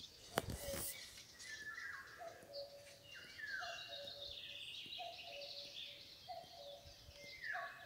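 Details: Deer fawn crying for its mother: short, even-pitched bleats recur roughly every 1.3 seconds after a sharp click. Birds whistle and chirp throughout the rural backdrop.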